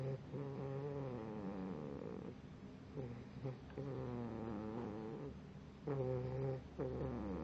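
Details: Snoring pit bull puppy, asleep, giving a steady run of long nasal snores with a humming, slightly wavering tone. Each breath lasts about one to two seconds, with short gaps and a few shorter snorts near the end.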